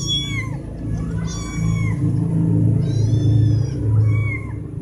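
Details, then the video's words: Cats meowing when wanting food or attention, four animals present; a few drawn-out meows, some falling at the end, partly masked by a loud low droning hum. "4 Cat Meowing So Loud, I Must Close My Ears Now"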